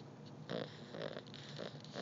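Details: Beagle puppy asleep and snoring; soft, breathy snorting bursts repeat about twice a second, quiet and close, with no other clear sounds.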